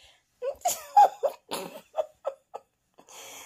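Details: A burst of laughter-like giggling and coughs in a small room, then a soft hiss.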